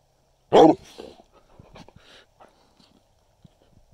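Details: A Treeing Walker Coonhound gives a single loud, deep bark while camping at Government Canyon State Park, followed by softer background rustles.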